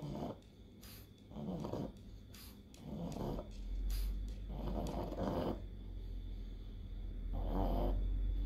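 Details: Pug with encephalitis straining through an epileptic seizure; rough, low snorting breaths come in irregular bursts, with a steady low rumble underneath.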